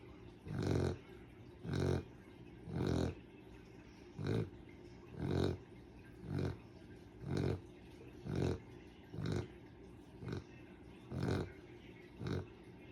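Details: Sleeping dog snoring loudly and steadily: deep, rough snorting breaths repeated about once a second, each a short rumbling burst, with quiet pauses between and no other sounds.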